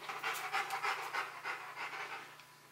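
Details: Rottweiler named Bruno panting during a box maze challenge, which he solves to reach a prize; quick, breathy huffs repeat about three times a second, fading toward the end, over a faint steady background hum.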